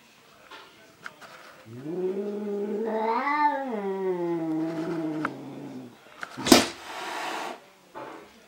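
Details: Angry male cat fighting himself in a mirror: a rising, wavering caterwaul climbing to a strained peak and falling away, followed by a sudden explosive hiss and scuffling sounds.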